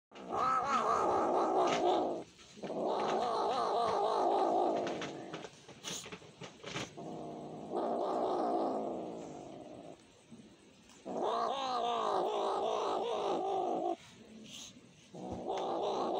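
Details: Domestic cat begging for food, giving long drawn-out mournful yowls of about two seconds each, separated by short pauses, five cries in a row with a wavering harmonic-rich tone.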